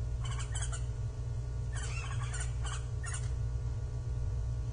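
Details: Calling Japanese giant flying squirrel on 25 December 2023, an animal that climbed, came down and glided twelve times; rasping bursts come in quick groups of two or three over a constant deep drone.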